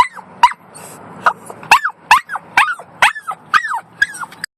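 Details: A year-old Yorkshire Terrier in a car lets out a string of about eight shrill, wavering yelps, each climbing and then dropping, irregularly spaced over low engine rumble.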